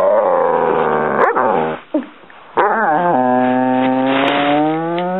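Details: Dog whining loudly over his favourite toy stuck beneath the couch, with drawn-out tonal cries that slowly fall in pitch, a brief gasp-like pause, then a rising wail settling into a long steady whine.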